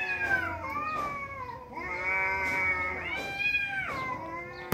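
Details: Fighting tomcats, two of them, giving continuous moaning yowls that sweep downward, then hold steady and wobble, with barely any gap between calls.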